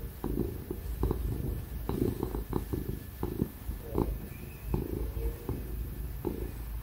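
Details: Content ginger cat purring under petting indoors; soft low rumbling purr, quieter here, broken by short clicks and rustles of handling, with a steady laptop fan whir in the background.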